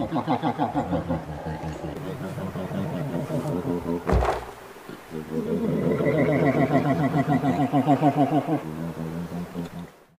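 An American black bear gives a rapid, throaty, pulsing hum of about three beats per second.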